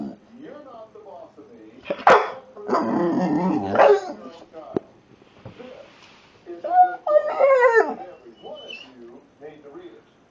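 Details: An American Pit Bull Terrier that likes to "talk" makes varied whining, groaning noises, rising and falling in pitch, while a person speaks to it.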